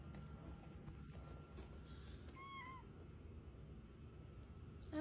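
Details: A 20-pound cat gives a single meow: a brief, slightly falling tone with a few stacked harmonics, set against a low steady hum and quiet room noise, with a person speaking just before and after.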